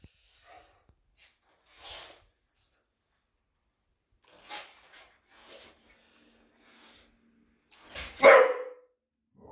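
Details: English Bulldog reacting to a vacuum cleaner in a quiet room: faint scattered sounds, then one loud, abrupt bark near the end.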